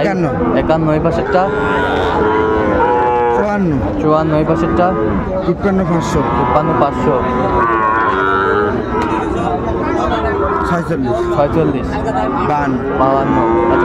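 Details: Sahiwal bull calves at a busy cattle market in Chattogram, Bangladesh, on 19 December 2024, giving low, drawn-out moos that rise and fall, mixed with constant crowd chatter and bargaining voices.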